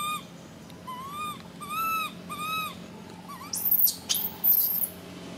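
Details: A baby monkey screams, first with a few clear arched cries, then with piercing very high, sweeping squeals in quick bursts toward the end.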